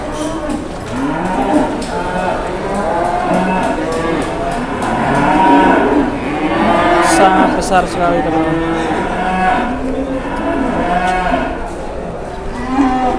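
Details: Several cattle at Pasar Jelok market in Boyolali, Indonesia, where a giant cow draws a crowd; overlapping deep moos, some rising and falling, recur throughout, mixed with loud market chatter.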